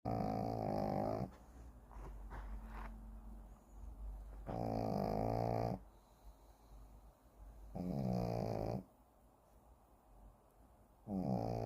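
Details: Shih Tzu named Kim Simon in deep sleep indoors, snoring in loud harmonic rasping bursts of about a second, four snores separated by quiet pauses of two to three seconds, with soft breathing between.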